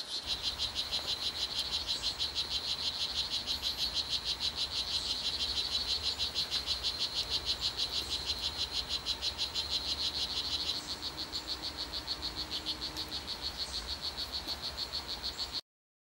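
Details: Calling male "Blue Jeans" strawberry poison-dart frog in rainforest, Costa Rica, trying to attract females: long unbroken series of fast, high buzzy chirps, about three per second, slightly softer after ten seconds, then stopping.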